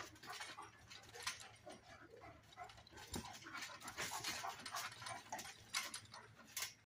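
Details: Bull Terrier and Great Pyrenees dogs facing off, giving a string of rough, noisy growls and short barks in irregular bursts, with scuffling movement and a sudden cutoff at the end.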